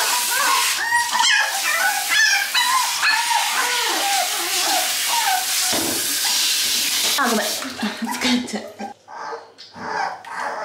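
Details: Toy Poodle puppies, two of them, wailing in panic through their first bath: stacked high whimpers and yips over rushing shower water, which then cuts off, leaving a few softer cries and human speech.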